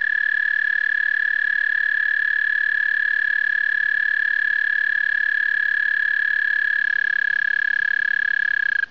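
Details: A male American toad sings a long, steady, high musical trill at one pitch without a break, at a breeding area in spring during migration.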